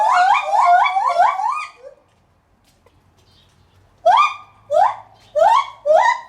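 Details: White-handed gibbon at Maruyama Zoo in Sapporo, recorded 11 July 2020: loud, rising hooting notes with rich harmonics in a rapid series, a two-second pause, then four separate swooping whoops spaced about half a second apart.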